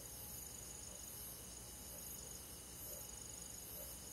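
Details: Crickets calling in a rural forest on a hot summer night, a thin, high, unbroken ringing trill with faint rhythmic pulsing above a soft, steady hum.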